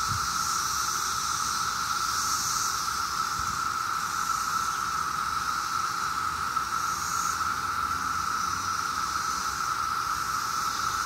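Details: On a summer day in Maryland, huge numbers of 17-year cicadas produce a constant, monotonous buzzing drone at a single steady pitch, with a soft high hiss layered above and nothing else intruding.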